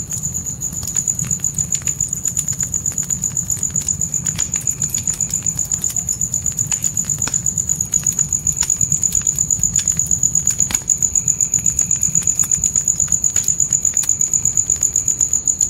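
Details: Night crickets in a forest setting near a tent campfire keep up a continuous high, shimmering trill, less evenly pulsed here, while sharp fire crackles and snaps punctuate a low steady rumble.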